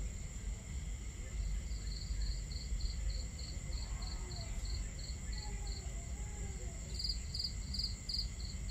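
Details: Night crickets by a camp on a starry night keep up evenly spaced high chirps, roughly three a second, with a brighter second cricket entering near the end, set against crackling fire and flowing water.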